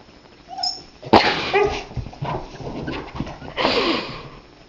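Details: Pet husky grumbling and talking while trying to bury its bone in the couch, upset that it won't disappear; a sharp bark-like yelp followed by rising, wavering vocal grumbles and a longer breathy moan.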